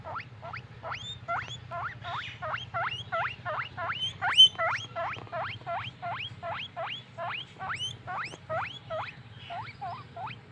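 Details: Guinea pig wheeking happily as a pet: loud, evenly spaced rising squeaks about twice a second, each sharply upswept and sometimes ending in a high curl; faint low hum behind.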